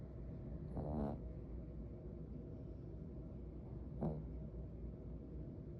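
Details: A dog asleep after a busy day snores, with two breaths about three seconds apart, each a short rasping rattle, over a steady low rumble.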